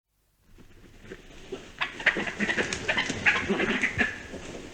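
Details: European badger (Meles meles) giving harsh, squealing chatters and scratchy bursts in a rapid, uneven run.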